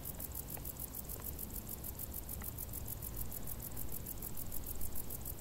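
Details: Crickets in tall grass on a hot summer day: a fast, steady train of very high-pitched pulsed chirps over a constant low rumble, with a few soft ticks scattered through.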